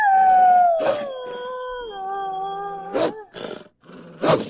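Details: Eastern wolf, also called eastern timber wolf, giving a long howl that starts high and slides downward, then levels into a steady, drawn-out tone. Sharp broadband bursts break in repeatedly, with a last burst at the end.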